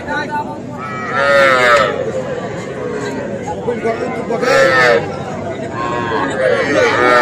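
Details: Young Sahiwal bull calves at a cattle sale in Comilla, Bangladesh, on 5 August, mooing three times in about seven seconds, each call a short falling bellow, amid crowd chatter and background noise.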